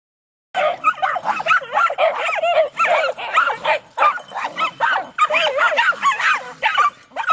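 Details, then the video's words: Jagdterriers named Jager and Toby, joined by Luco and later Effie, seeing their first raccoon: a busy stream of high, excited yips, whines and barks, several dogs overlapping in quick uneven bursts. "Jagdterriers first time to see a raccoon"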